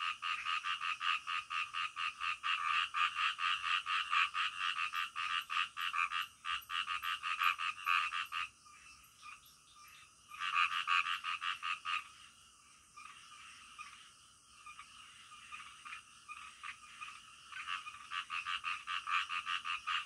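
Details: Frogs croaking in the middle of the night, recorded as calming nature sound for sleep; dense rhythmic rasping croaks, a chorus that thins and pauses briefly before resuming, with faint high ticking insects behind.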